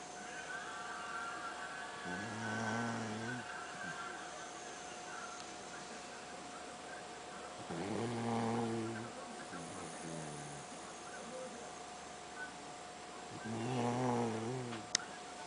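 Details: Pet dog snoring, said to sound just like a man's snoring: three drawn-out, rumbling harmonic snores, each about a second and a half, spaced roughly five to six seconds apart, over a steady background hum.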